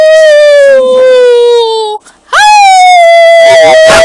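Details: Two pet puppies howling together with their owner at home: a long, steady howl that drifts slowly downward, a brief pause, then a second howl rising sharply into a sustained wavering tone.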